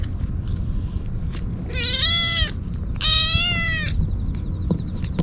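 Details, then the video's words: Desperate stray kitten wailing as it wolfs down Churu and Sheba food outdoors: two loud, rich, level meows about a second long, one after the other, with a low background rumble and small clicking sounds. "すさまじい勢いでちゅ～るとシーバ(Sheba)を食べるかわいい子猫 とにかく必死で鳴き叫び続ける 野良猫"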